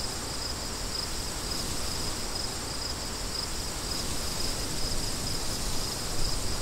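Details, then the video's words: Soft broadband wind noise underlies a band of high cricket chirps repeating in brief pulses. "Crickets & Wind"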